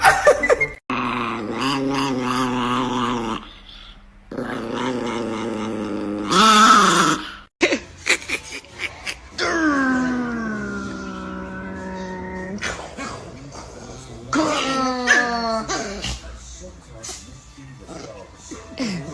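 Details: Chihuahua dog vocalising, with rumbling growls, a long, wavering, whiny moan and short descending whimpers, mixed with people talking and laughing and bits of background music.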